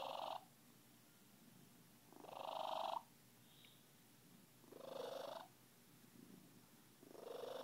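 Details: Happy Siamese cat Miranda purring close up: loud, coarse swells that build and break off, recurring about every two and a half seconds, with softer murmuring between them.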